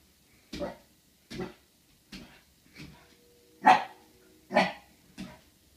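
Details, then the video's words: Corgi facing its reflection in a mirror, barking seven times in about five seconds, short sharp barks at uneven intervals, quiet room between them. "Corgi meets mirror"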